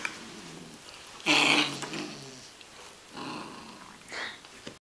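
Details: Bella and Shiloh, a Catahoula Leopard Dog and an Australian Cattle Dog, wrestling in play, June 2010; harsh, noisy snarling bursts, one loud and long, then two softer grumbles a second apart.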